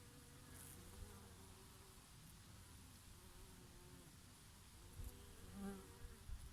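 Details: Bees feeding on oregano flowers in summer, a bumblebee among them now and then: low droning wingbeat hums that rise and fade as insects pass close, louder near the end, over a soft steady summer breeze.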